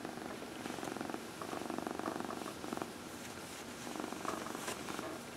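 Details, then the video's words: House cat purring as it is massaged, one of four cats kept indoors; even, rapid rumbling purr in steady pulses, with faint rubbing and rustling sounds over it. "Four Purring Cats — Cat Massage"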